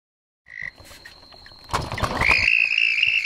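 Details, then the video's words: Two red-spotted toads mating at night in a back yard; one gives a loud, high, steady, musical trill after a brief opening note. "Red-spotted toads"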